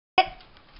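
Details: Foster dog Camper barking from the background, eager for a squeaky toy and wanting to join the play; one sharp, bright bark bursts out abruptly and fades within a fraction of a second into a quiet room.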